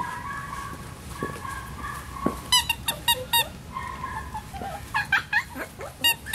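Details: Male Miniature Schnauzer puppy named Salt, born 18 May: soft thin whines in the first seconds give way to clusters of sharp, high squeaky yelps, several in quick succession, then a further burst of shrill whimpering squeals near the end.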